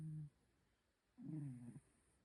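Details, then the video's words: Heavy snoring from a sleeping cat: the end of one low, rasping snore, about a second of silence, then another half-second snore with a hoarse, buzzing tone. "코골이 너무 심한 고양이"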